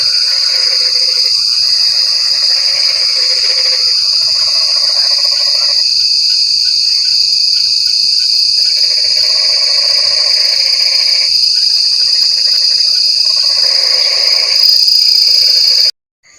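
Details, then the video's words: Frogs calling in rainy weather, with repeated pulsed croaking phrases of a second or two alternating with short pauses, under a dense high insect drone; the sound cuts out abruptly at the end. "Suara Kodok | Suara Kodok Hujan | Suara Kodok Hujan Mengerikan"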